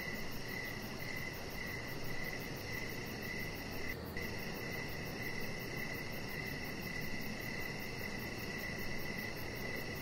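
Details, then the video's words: Evening cricket chorus recorded outdoors by a deck with a chihuahua puppy nearby; continuous high pulsed chirping with a brief dropout around the middle, set against steady broadband background noise. "Cricket Sounds"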